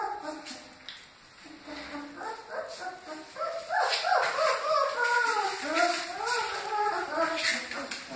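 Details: Great Dane puppies, several together, soft rustling and clicks at first, then from midway a chorus of overlapping wavering whines and squeals that continues to the end.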